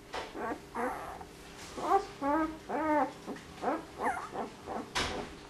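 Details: Puppy named Dior making an attempt to bark: a series of short, high, arching yelps and squeaky barks, about eight bursts in quick succession, with soft whimpering between them and a faint background hum.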